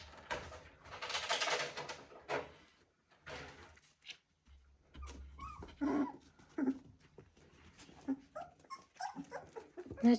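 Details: Three-week-old Border Collie puppies: a noisy broadband burst early on, then scattered short whimpers and small yelps, thin and irregular, with a brief low rumble and quiet stretches between.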